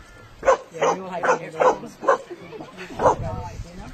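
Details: Eva, a Koolie, meets moving sheep at a Brad Pellow herding workshop as instinct kicks in; a quick run of six sharp yipping barks, roughly one every half second, over steady human talking.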